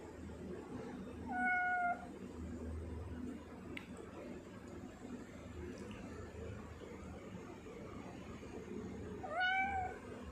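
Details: Pet tortoiseshell cat Sia meowing twice, on 10 November 2019. A drawn-out, slightly falling mew near the start, then a long quiet gap of room hum, then a second, rising-then-falling meow near the end.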